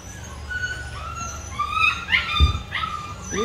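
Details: Rottweiler puppies whimpering while being let in as their food is set up; several high, thin whines sliding up and down over one another, with a sharp knock midway and a low background hum.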